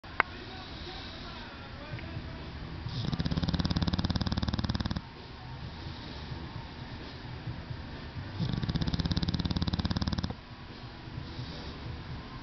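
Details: English Bulldog snoring while asleep, likened to a little diesel engine: two loud, low, rapidly rattling bursts of about two seconds each, separated by quieter breathy stretches.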